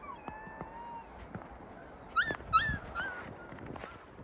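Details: Yakut wolves kept in an open enclosure: a soft, drawn-out whine opens, then two sharp rising yelps break in midway, followed by quieter whimpers trailing off.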